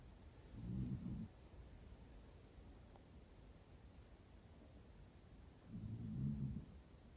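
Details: Sleeping Miniature Dachshund Roro, a cream and black female born in 2010, snoring comfortably; two soft, low, throaty snores about five seconds apart, separated by near silence.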